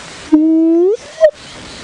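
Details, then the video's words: Hyenas at Djuma Game Reserve on a morning safari drive, 2 January 2016, near a termite mound among drainage lines amid many calling birds: a low, drawn-out moaning whoop sliding upward, then a brief higher note, over steady hiss. "can hear the hyenas going there."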